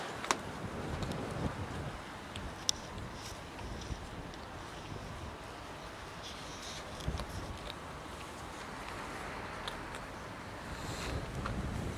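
Wind rumble and distant traffic noise with a few soft clicks and footsteps, and no clear animal calls.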